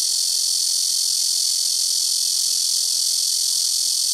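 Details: Very loud chorus of blackish cicadas in rooftop trees by a house, singing in turn from several nearby trees; a dense, continuous high buzzing wall of sound with no pauses.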